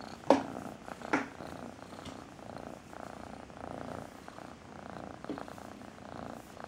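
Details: Cat purring loudly, nicknamed the "tractor driver's song"; two sharp clicks open the clip, then a continuous low vibrating rumble pulses evenly in a slow breathing rhythm.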